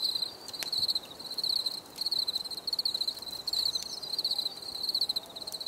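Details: High, buzzy cricket trills in rapid pulsed bursts, several per second-long phrase, recurring with small pauses, plus a few faint clicks.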